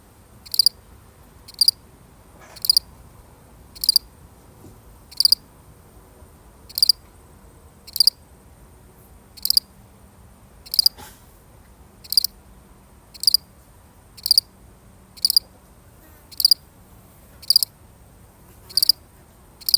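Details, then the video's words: Lone cricket, real recording, giving a long even series of about sixteen sharp high chirps, one every second or so, over a soft low hum. "The sound of one lonely cricket"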